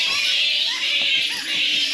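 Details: Fruit bat colony in the mangroves of far northern Australia, loud in the daytime when the bats were thought to be asleep; a dense, unbroken wash of high chattering squeals with a few short curving notes beneath.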